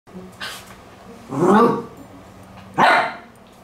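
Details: A poodle indoors barks at a Stuart Minion toy: two loud, harsh barks about one and a half seconds apart, with a faint earlier yelp and a steady low hum underneath.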